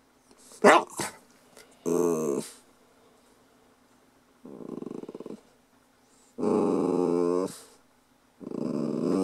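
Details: A Lhasa Apso pup makes drawn-out, grumbling, growly 'talking' sounds in bursts, with a person speaking briefly.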